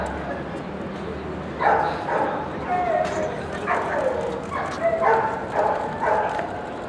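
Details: Doberman in the junior puppy class at an FCI Group 2 dog show, barking steadily after a quiet start, about two barks per second, each bark ringing and slightly hoarse, with people talking nearby.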